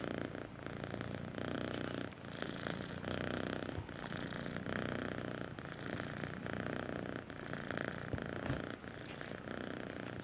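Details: Kitten purring sweetly, a steady low rumbling purr running continuously through the whole stretch with even loudness and brief dips in between.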